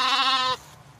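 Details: A crying lamb gives one loud, harmonic, wavering bleat lasting about half a second, then falls quiet.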